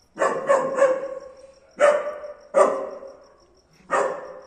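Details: Young-sounding German Shepherd barking for the first time: a quick run of three barks, then three single loud barks spaced about a second apart, each fading briefly, a faint high tone running underneath.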